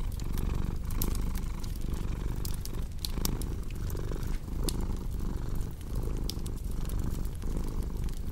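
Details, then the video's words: Domestic cat purring steadily, a low rumbling drone swelling and easing in breath cycles under a second long, mixed with sharp pops and crackles of a cozy fireplace throughout. "Purring Cat with Cozy Crackling Fireplace Sound"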